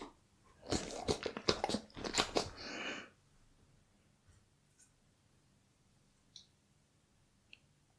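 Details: Bull Terrier biting and chewing raw beef cuts inside a small room: a loud, fast crunching run lasting about two seconds, then near silence with a few faint clicks.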